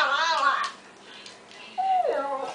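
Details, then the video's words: Pistachio, a pet Chinese Crested dog, "talks" to tell what he wants when asked about bones indoors: two wavering, howl-like tonal vocalizations with rising and falling pitch, separated by a pause. The owner's voice is also heard. "pistachio the talking dog"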